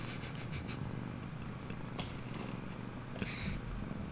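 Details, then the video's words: Domestic cat named Veeya, indoors, coming in for affection while being scratched; a steady low rumbling purr runs through the whole stretch, with faint soft clicks and a brief brighter rustle near the end. "Kitty Cat Break: Veeya Coming in for Some Loving"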